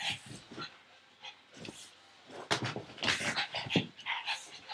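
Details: Pug named Frankie, a pet dog, chasing a tug toy held in an owner's arm indoors; rough breathy bursts and snorts, scattered and uneven, with scuffling between them.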